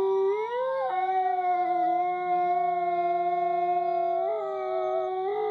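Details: Coyotes howling at Koshi Tappu Conservation area: a smooth howl swells upward in the first second, then holds a long, nearly level tone, with a brief lift near the end and another voice faintly alongside.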